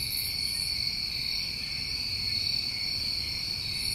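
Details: New England summertime crickets trilling without pause in layered, unbroken high-pitched bands, joined at the start and end by a short, higher shimmering buzz.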